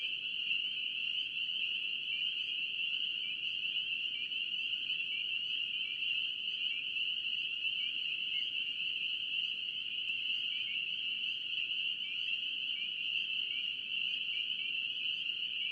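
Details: Massed spring peepers call in North Carolina, their piercing peeps blurring into a continuous bright tone with steady loudness, and occasional individual notes flickering just below it over quiet background rumble.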